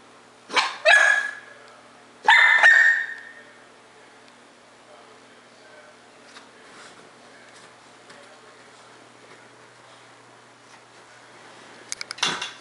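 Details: A 4-month-old female English Bulldog puppy gives a few high, sharp barks with quiet pauses, annoyed at a bulldog seen in a window.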